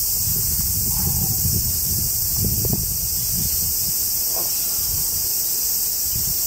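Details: High, even cicada hiss over the Tokai Nature Trail woods in Japan during summer heat, with rustling and low wind-like noise beneath and a few soft brief squeaks.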